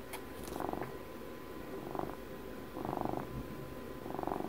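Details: Pet cat purring up close, its vibrating rumble swelling in short bursts roughly once a second, with softer stretches in between and a faint steady background hum.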